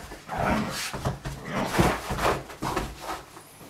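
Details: Older Vizsla playing energetically indoors in a small room, giving rough, breathy grumbles and whines in rapid uneven bursts, with scuffling movement throughout.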